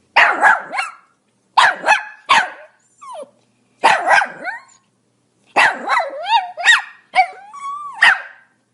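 A Pomeranian barks in sharp, high-pitched yaps, with some whiny, rising notes between bursts.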